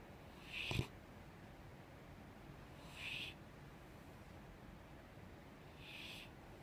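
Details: Five-year-old female Mastiff sleeping and snoring softly: quiet breathy snores, each a soft hiss, come about every three seconds over faint room noise.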